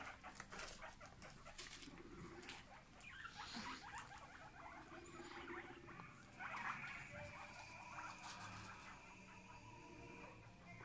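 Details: A family of guinea pigs calling, with soft, rising squeaks and chirps in short bursts, a longer run near the middle, over rustling and faint background noise.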